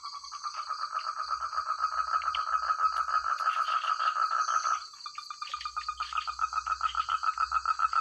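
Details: Frog chorus in rice fields in the countryside: dense, rapid pulsed croaking around mid pitch, many callers overlapping, a brief dip near the middle before the pulses resume, with a steady high insect-like whine throughout.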